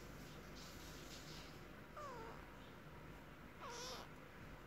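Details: Kitten named Sharukh talking to his mother: two short meows roughly two seconds apart, each starting high and sliding downward, over a steady low hum.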